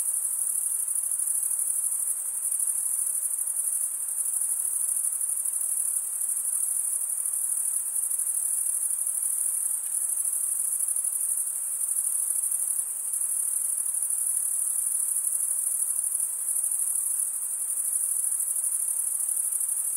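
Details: Night-like chorus of chirping crickets, a sustained shrill trill with fast, even pulses, occasionally softening for an instant before resuming at full strength; no other creatures or sounds.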